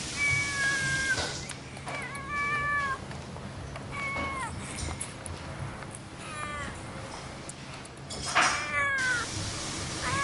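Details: Domestic cat, described as playful, meowing in a series of short harmonic calls, some flat and some falling, spaced through the recording over a steady low background hum.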